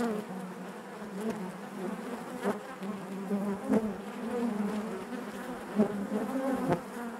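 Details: Steady collective hum of honey bees in their hive, a thick low drone from countless wingbeats, broken by several quick sharp buzzes of individual bees darting past at irregular moments.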